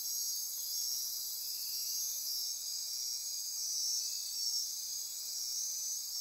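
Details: Midnight insect chorus in Costa Rica's rainforest on the Osa Peninsula near Corcovado National Park: a dense, steady, shrill wall of high buzzing and trilling that holds unbroken throughout, with a faint fainter trill underneath.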